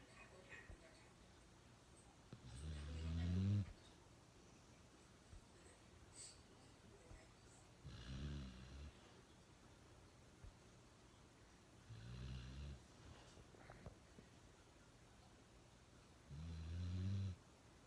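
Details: Loud, funny snoring from Uno the dog inside a small room: four low, harmonic rumbling snores, each about a second long, spaced roughly every four to five seconds with quiet breathing between.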